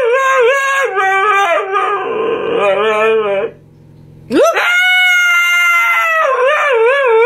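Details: A Siberian Husky gives a long, wobbling, vibrato-like howl with a rising and falling pitch that slides lower into a rougher moan. After a brief silence, a steep upward swoop leads into a sustained, steady howl ending in quick wavering pulses.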